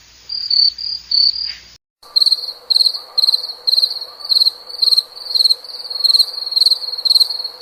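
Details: Chirping cricket: a few shrill pulsed chirps, a brief cut, then a steady run of bright trilled chirps about twice a second over a faint low hum.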